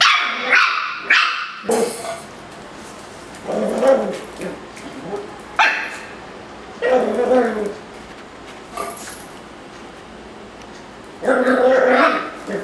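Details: Miniature Schnauzer, angry at a Yakult pot, giving scattered short barks and yips with gaps of quiet between, a louder burst at the end; faint voices in the background.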